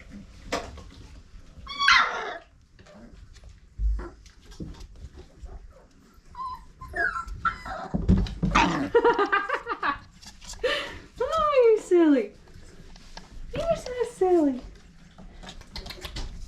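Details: Old Family Red Nose Pit Bull puppies, five weeks old, from Abby and Ragnar's litter: high, wavering whimpers and short yips in scattered bursts, with arching whines late on, amid a woman's soothing talk and laughter.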